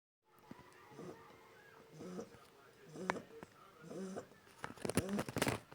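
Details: One-month-old Shar Pei puppy snoring indoors: a rhythmic series of nasal, slightly tonal snores arriving roughly once a second, followed by louder clattering, rustling noises toward the end.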